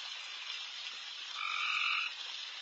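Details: Many very loud frogs calling late at night in a backyard: a dense, hissing high chorus fills the whole time, and one nearer call swells in the middle with two steady stacked tones lasting under a second.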